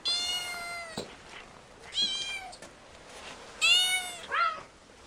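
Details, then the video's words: Playful kittens on grass with pine cones give three clear, steady, harmonic meows about two seconds apart, the last followed by a short squeaky mew. "Cat sounds"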